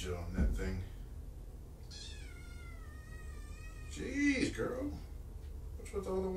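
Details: Shelter kitten, one of five from two litters surrendered in Tacoma and taken in by Purrfect Pals, on an afternoon of 3 July 2017. A long, high, slightly falling meow is rich in harmonics. Brief human talk comes before and after.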